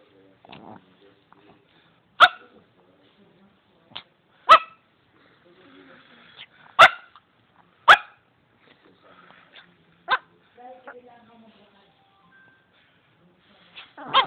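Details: A pet Shih Tzu barking at nothing, recorded on an Android phone: about six sharp, short barks at irregular intervals of one to three seconds, with fainter yips and quiet movement between them.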